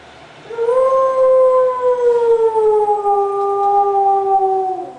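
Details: Jack, a pet dog who loves fire trucks, howls in a long steady tone that slowly sinks in pitch over about four seconds, a clear drawn-out wail with rich overtones.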